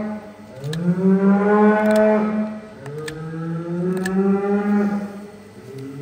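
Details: On a farm in south-west Scotland, an impatient bull behind a wall bellows twice with long, deep moos that rise and then hold steady, amid metallic clanks while a shackled cow's hoof is trimmed in a crush.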